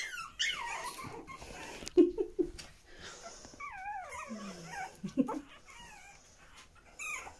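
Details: Young Pomeranian puppies with their mother, Yee Yee: wavering high-pitched whines rise and fall in short wobbling squeals, mixed with a few low grunting yelps and faint rustling.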